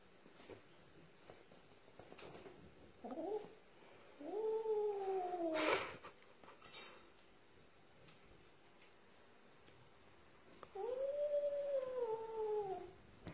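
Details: Russian Blue cat giving three drawn-out, wavering meows, the middle one rising into a strained cry, each lasting about one to two seconds with quiet pauses between; faint indoor background.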